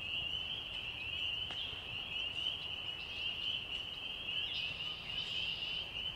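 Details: At night in a forest, spring peepers, with crickets and birds, form a dense, continuous chorus of high, piercing peeps that blurs into a steady shrill band, with a few brighter notes rising above it.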